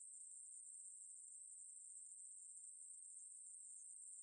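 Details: A conehead katydid in Korea, 2020, gives a continuous, high-pitched, hissing buzz that never pauses.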